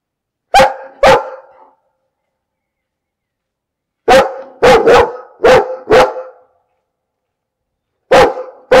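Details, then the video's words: A dog barking in bursts: two barks, a pause of over two seconds, then a rapid run of five barks, another pause, and two more barks. Loud, harsh, and with no other sounds. "Bellender Hund - Hunde bellen"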